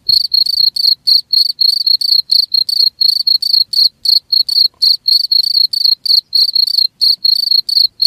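A cricket chirps steadily in short, high, trilled pulses, about four bursts every second.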